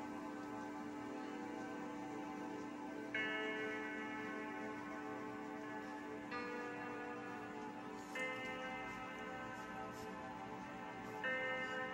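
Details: Soft ticking and a chiming music-box melody with bell-like tones sound over a low hum, and no animal cry.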